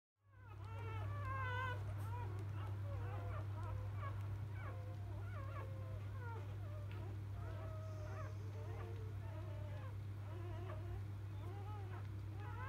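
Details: Newborn field-type Labrador Retriever puppies, just born to biscuit, a 2017 JFA Grand Champion, cry in a dense overlapping chorus of rising and falling whines and squeaks, many voices at once, over a steady low electrical hum.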